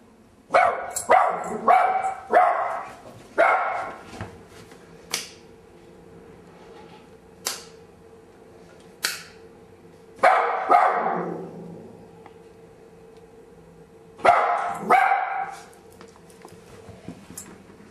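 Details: A loud dog barking excitedly indoors, in bursts of two to four sharp barks and a few single ones spread irregularly, with quiet gaps between the bursts and a faint low hum behind.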